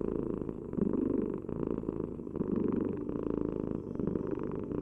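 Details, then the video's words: Cat purring steadily, a deep vibrating rumble with fast fluttering pulses and gentle rises and falls in volume tied to breathing, heard up close without other noises. "Heal with the ultimate cat purring vibration"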